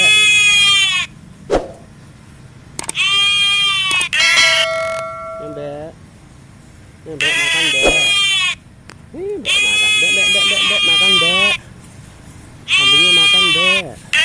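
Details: Goat at feeding time giving loud, harsh, tremulous bleats in long bursts about every three seconds, with close Indonesian speech coaxing it to eat between calls.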